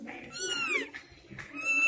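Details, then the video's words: Newborn house kittens, three born at home, crying indoors: high, thin arching mews with a bright tonal sweep, two loud cries separated by a quieter pause, soft background music. "Cute kittens crying बिल्ली के छोटे बच्चे की सुंदर आवाज"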